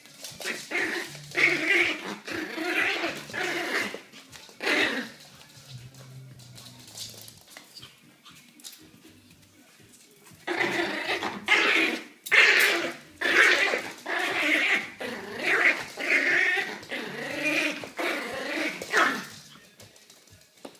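A tiny Yorkshire Terrier gives sharp, high yaps in quick bursts, sounding nervous.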